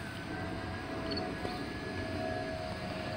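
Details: Steady low rumbling noise like a distant engine or aircraft, with no animal sounds.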